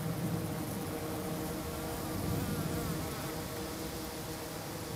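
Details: Steady, slightly quieter swarm hum from hygienic honey bees near St. Paul, Minnesota, flying on a mild mid-March day and clearing dead bees from the base of the hive; unbroken low buzzing throughout.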